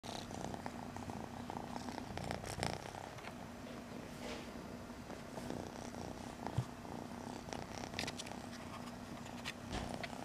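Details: Kitten up close to the microphone, purring in a continuous low rumbling drone with a steady pulsing texture, plus scattered soft rustles and clicks from movement.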